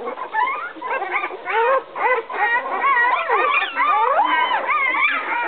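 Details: Eleven-day-old puppies in a whelping box, distressed because their mother came in and left again; a tangle of thin rising and falling whines, some drawn-out, from several pups at once.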